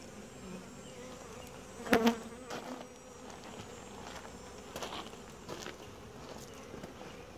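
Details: Honey bee colony droning softly while a beekeeper works swiftly yet carefully through an inspection; the steady hum runs under sharp knocks and clicks of hive handling, loudest around two seconds and again later.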